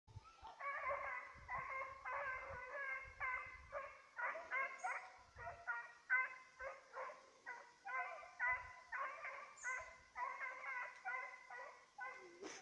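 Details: Petit Basset Griffon Vendéen chasing a rabbit, recorded 5 October 2014: a steady run of loud, ringing barks, about two to three a second with brief gaps, continuing throughout.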